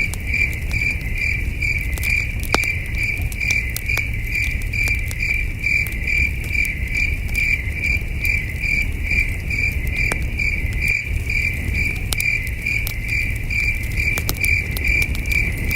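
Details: Crickets at night in the wilderness, heard at a campfire: shrill rhythmic chirps of even pitch pulsing steadily about twice a second, with scattered wood-crackling snaps and a low hum of the outdoors.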